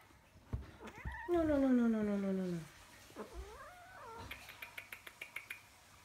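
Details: Two 4-month-old blue Maine Coon kittens play-fight after breakfast. One gives a loud, harmonic meow that slides downward over about a second, then a softer wavering mew, followed by quick tapping clicks from play.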